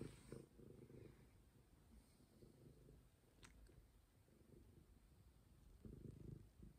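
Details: A stray cat purrs close by: a deep, even rumble in alternating breaths, louder at the start and end, over a quiet background with a faint tick.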